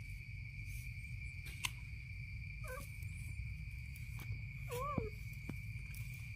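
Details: A naughty kitten nipping at its mother's belly lets out two brief wavering mews a couple of seconds apart, over a constant high-pitched hum and a low background rumble.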